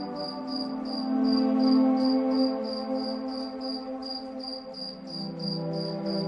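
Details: Night cricket chirps in moonlight: a steady train of brief high pulses, roughly three per second, laid over calm ambient music with a rising bright tone near the middle.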